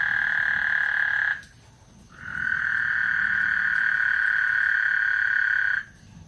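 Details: Chorus of frogs at Lake Houston ahead of a thunderstorm, a continuous buzzing trill that cuts out for under a second, resumes for several seconds, then stops abruptly near the end.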